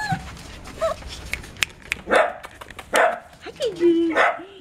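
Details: Dachshund puppies from a litter born 5 February 2013 at a kennel in Itapetininga, São Paulo, Brazil: thin high whines that bend up and down, mixed with short sharp yips, over human speech and background murmur.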